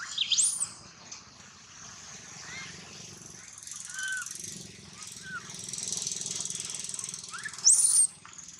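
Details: Young monkey crying loudly, giving sharp high squealing sweeps at the start and near the end with faint softer arched whimpers between, set against a constant high-pitched outdoor hum.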